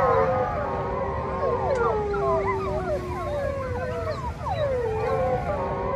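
Several wolves howl together, long sliding tones overlapping into a wavering chorus.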